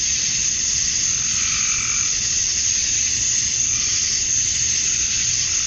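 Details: Male cicadas chirping to attract females at summer dusk in Georgia, USA: a dense, steady, high hissing drone with no breaks, and a softer rising-and-falling lower hum beneath it.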